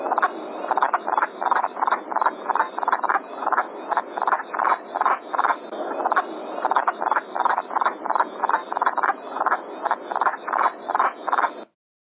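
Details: Wood frogs calling from a pond, an early spring breeder of ponds with willows, sedges or cattails near Hamilton, Canada: rapid duck-like clucking quacks, many overlapping in a dense chorus, several per second, over a steady hissing background.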